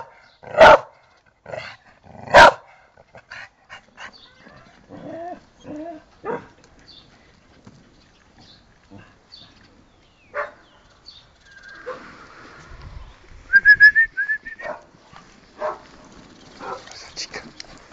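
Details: Pet dog named Tera barking at home, two loud sharp barks early, then scattered softer yips and whines with a woman speaking Spanish to her in the background.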